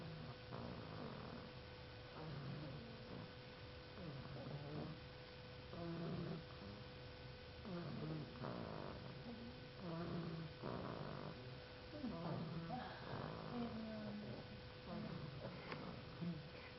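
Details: Dog asleep and snoring in long, raspy, low-pitched breaths that rise and fall every second or two, over a faint constant electrical hum.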